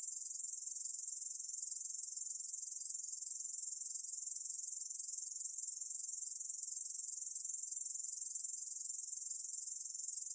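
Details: Continuous shrill buzzing of a Korean bush cricket, a 2020 National Institute of Biological Resources recording, delivered as a dense uniform trill without pause or change in loudness.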